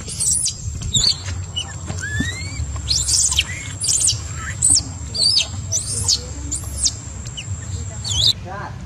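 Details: Baby monkey, separated from its mother and attacked by the troop, crying out in panic: shrill, high squealing screams in short bursts, about one each second, over a steady low rumble of background noise.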